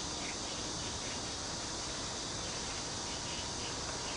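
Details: Park near Kaohsiung's Cheng Ching Lake, where cicadas produce a dense, constant shrill buzz that stays level throughout the short stretch, with soft wavering notes underneath.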